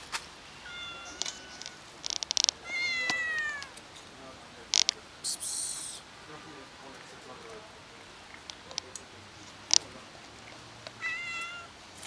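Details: Domestic cats, three of them, gathered on a street for their daily feeding in autumn among fallen yellow leaves; rising-then-falling meows come in short runs, with rustling, clicks and light handling noises around them.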